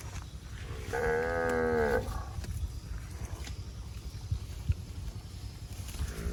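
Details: While eating grass in scrubland, a fat cow utters one clear, level moo of about a second, followed by chewing and rustling noises and the start of another call.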